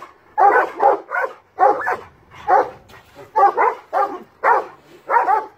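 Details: Several large dogs barking at a cat up a tree: a rapid run of harsh, loud barks, about two per second, each a short broad burst, with brief quiet gaps between.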